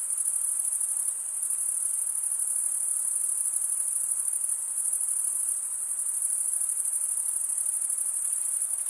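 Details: Crickets chirping in a steady, dense chorus: a continuous high-pitched shimmering trill that barely wavers in loudness, with a faint hiss beneath and no other animals or voices.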